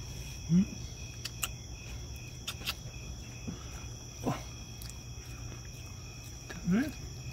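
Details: A raccoon (Procyon lotor) gives three short, low, rising squeaks, spaced a few seconds apart over a steady hum.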